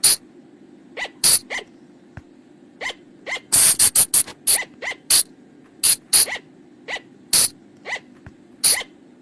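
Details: Bang pa, the flying lemur, in a lure recording for night use: strident shrieks in irregular runs, a fast burst near four seconds, interspersed with thin rising squeals, over a continuous low hum.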